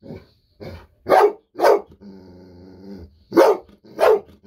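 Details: Golden Retriever barking with excitement as treats are about to be given, kept waiting by its owner; softer yips, then two loud barks, a low droning growl-like hum, and two more loud barks.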